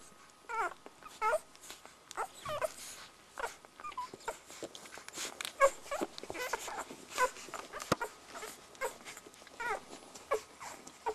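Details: One-week-old Border Collie puppies nursing, giving many short high squeaks and whimpers, some rising then falling, scattered irregularly through the clip over soft suckling and shuffling noises.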